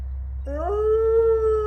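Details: Captive-born gray wolf pack howling together in a main enclosure, neighbouring enclosures also heard: after a short quiet start, one long clear howl rises quickly, then holds a steady, slightly wavering tone to the end.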